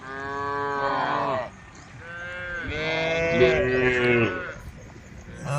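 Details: Tame cows gathered on a road, calling the herd: long harmonic moos, one falling at the end, followed by overlapping drawn-out lowing from several animals, with a quieter lull between calls.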